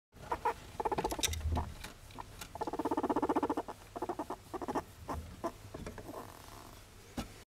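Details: A pet guinea pig purring; rapid stuttering chains of short pulses come in bursts, with a longer buzzing run in the middle, mixed with soft rustling taps.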